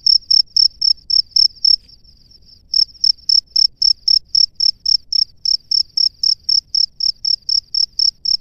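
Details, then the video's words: A male cricket sings from its burrow to summon a female: sharp high chirps about four per second, broken by a short gap with a soft continuous trill, then resuming steadily. "SUARA JANGKRIK JANTAN DI SARANGNYA MEMANGGIL JANGKRIK BETINA"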